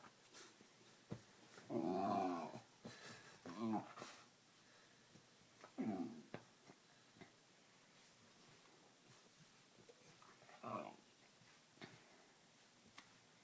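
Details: Pet dog making funny noises while a person plays with it: several short, harmonic groaning grumbles, each about half a second long, spaced a few seconds apart, with quiet human voices in between.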